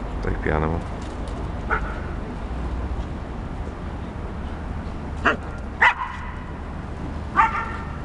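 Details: Flora, a nine-month-old Akita bitch, plays with Fox, an eight-year-old Border Collie cross, passing Arsenal's Emirates Stadium on 22 September 2012; a drawn-out whining yip opens, then brief harmonic barks come at irregular intervals over a constant outdoor hum.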